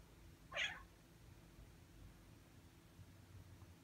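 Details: Six-month-old Ragdoll cat, lately in the habit of covering the screen when its owner types, gives one quick, clear meow near the start, followed by quiet indoor background.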